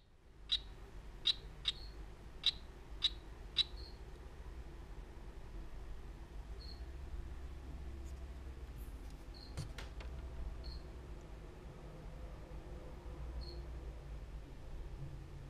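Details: Strawberry poison-dart frog, Oophaga pumilio, from Bribri, giving short high chirps in a quick series of six near the start, then scattered single notes spaced seconds apart over a steady low hum.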